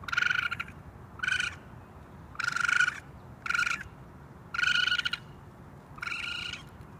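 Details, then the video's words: Raccoon making six short, grating, reedy calls of uneven length in about seven seconds, some clipped and some stretched, against quiet background noise. "Raccoon sounds, raccoon noises"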